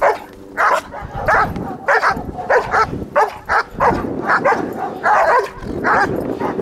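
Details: German Shepherd barking during bite training, a run of loud, harsh barks roughly every half second, some doubled, with brief whiny edges between them.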